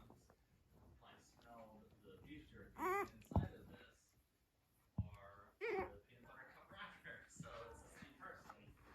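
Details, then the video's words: Five Blenheim Cavalier King Charles Spaniel puppies, almost four weeks old, playing and exploring indoors: a few sharp, high squealing yelps near the middle, surrounded by soft murmuring human speech in a small room. "Cavalier Puppies Purr, Bark, and Play"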